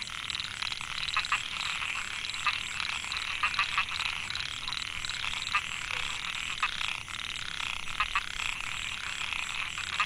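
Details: Microhyla pulchra narrow-mouthed frogs in a Chiang Mai rice field, Thailand, 2014; males call to win females. Many overlapping grating, pulsed calls form a steady chorus, with scattered louder clicks and a thin continuous high drone.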